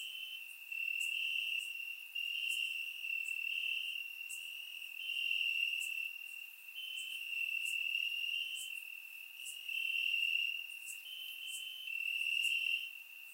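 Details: Crickets in the grass at night, warm summer, Bulgaria: an unbroken high trill pulsing in bursts of one to two seconds, layered with rapid clicking chirps; captured on a surround microphone.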